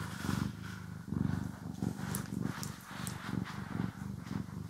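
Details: Domestic cat purring during grooming and brushing, stereo recording: a low rumbling purr pulsing in uneven waves beneath hissy brushing noise and a few sharp scratches.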